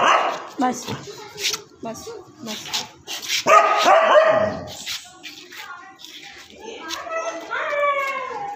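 A Siberian Husky barks in short bursts, mixing sharp yips with a longer, falling vocal note. Human voices chatter around the dog throughout.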